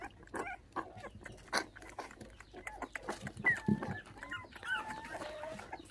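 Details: Bottle-fed puppies that lost their mother at six days old, stolen by dog thieves, give thin drawn-out whines, some bending upward, after a run of clicks and knocks from handling.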